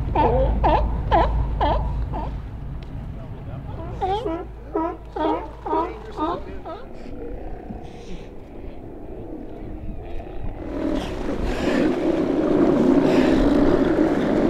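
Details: Sea lions at Fanny Bay, north of Nanaimo on Vancouver Island, Canada, in March 2014, during a rescue of an animal entangled in garbage. Loud, harsh, harmonic roars repeat about every half second for seven seconds, then a boat engine swells.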